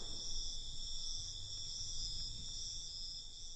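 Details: Constant, high-pitched trilling of crickets on a night, even in loudness throughout, with quiet low background hum.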